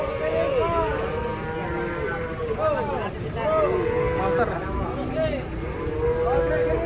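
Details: Cattle being unloaded from a truck, with long, wavering moos that rise and fall over one another, mixed with shouting voices and a low engine rumble.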